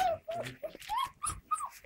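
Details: Standard Poodle puppies, six weeks old, in their pen, one just woken up; a string of five or six high, thin whimpers, some level and some rising then falling, in quick succession with brief gaps.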